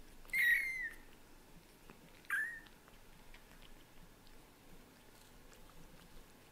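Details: Pet cats at home, daddy cat Leo the British Shorthair getting used to kittens little by little; two loud, thin, high mews about two seconds apart, each bending down at the end, then quiet room background.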